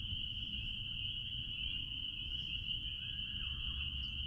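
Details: Steady, bright, high ringing of a spring peeper chorus behind a blueberry farm, unbroken for the whole stretch, with soft low background rumble.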